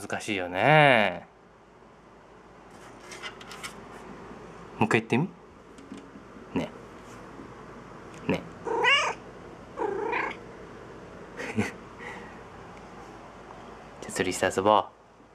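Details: Domestic cat hunting in a closet for its toy fishing rod and saying "tsuri"; one loud, long wavering meow-like call opens, followed by scattered rustling and clicks, a few shorter calls and a final burst near the end.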